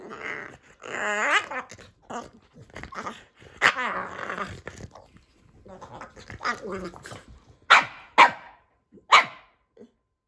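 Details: Playing indoors with his brother Kumo the Keeshond, the pet Boston Terrier Sully makes long, wavering, grumbling growls and moans, ending with three sharp, loud barks in quick succession.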